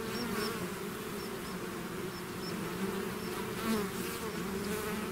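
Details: Many bees swarming out of their hive, a full steady hum in low bands, with faint repeated high chirping notes above from another small caller.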